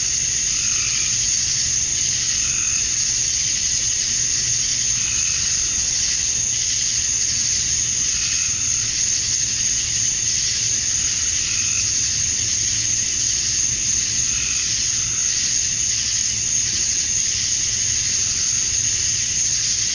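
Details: A summer-night chorus of male cicadas at dusk in Georgia, USA, calling to attract females; a constant, piercing high drone without pauses, overlaid by faint, lower repeated tones recurring roughly every two seconds.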